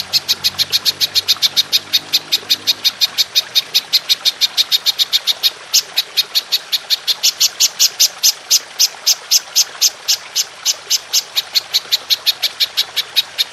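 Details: Belalang emas, the golden grasshopper, recorded clearly as a master track for training songbirds: a long unbroken run of rapid, high, dry buzzing pulses, evenly spaced, about three each second, with faint low rumble at the start.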